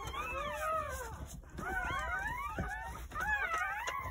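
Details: Several newborn Jindo dog puppies from a New Year's Day litter of nine, born at a rural home, cry together in overlapping thin whines that rise and fall in three bursts separated by short pauses.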